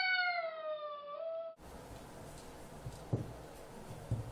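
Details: Bambu, a Bengal cat, meeting another cat named Kitty: one long, drawn-out meow sliding gently downward for about a second and a half, followed by quiet room noise with a couple of soft knocks.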